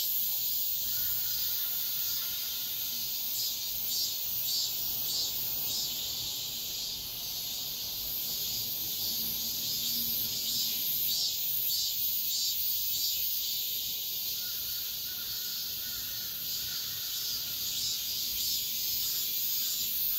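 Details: Midsummer dawn cicada chorus, a steady shrill hiss of overlapping insects with rhythmic swells about every half second and a faint low murmur beneath.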